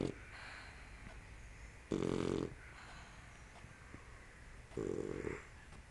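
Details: A sleeping puppy snores in two short, rough, low-pitched bursts about three seconds apart, with quiet breathing between them.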